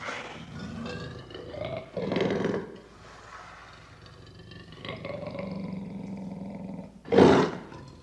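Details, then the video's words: Lion roaring loudly: deep, rough, moaning bursts with a low rumbling tone between them, a strong grunt at two seconds and the loudest blast just after seven seconds. "Lion Roaring"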